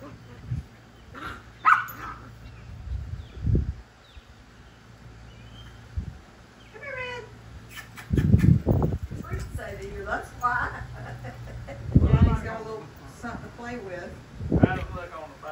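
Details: A Chihuahua and a Boxer playing together, recorded on an iPhone 11 Pro: bursts of growly, yappy play noises and short barks, with a person talking and laughing.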